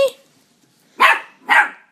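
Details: Cairn Terrier, a pet dog, barking: a sharp short click at the start, then two loud, rough barks about half a second apart, with a quiet room in between.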